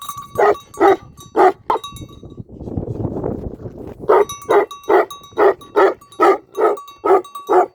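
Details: Tibetan Mastiff, a Himalayan shepherd dog guarding a sheep farm in Nepal, barking in loud deep rapid bursts, four barks, a pause filled with rough low noise, then about ten more barks in quick succession.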